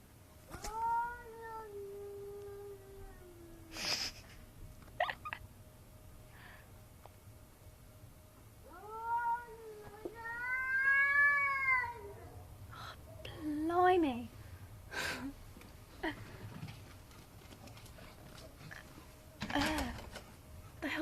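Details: A cat randomly crying at night, heard every night: long harmonic wails, one sliding gently downward, another swelling up then falling, plus a short sharp cry, separated by quiet gaps with scattered clicks and knocks.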